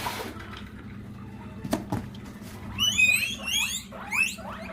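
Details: Several pet guinea pigs shout for food as the cardboard grass box is opened indoors: a burst of loud, high, whistled squeals with repeated rising sweeps in the second half, after a short knock and low background hum.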